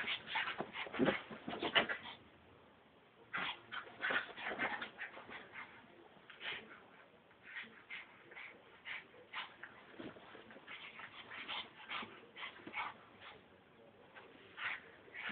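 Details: Brussels Griffon dog in a wild, worked-up state, producing quieter strings of high whimpers and short yelps at an irregular pace, loudest in the first two seconds, then softer chirping cries.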